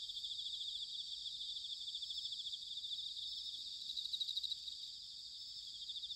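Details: Bell cricket chorus recorded in autumn at Sanuki, Chiba Prefecture, Japan: a steady high shimmering ring of overlapping pulsed trills, with a slightly louder, more distinct trill near the fourth second over faint low background rumble.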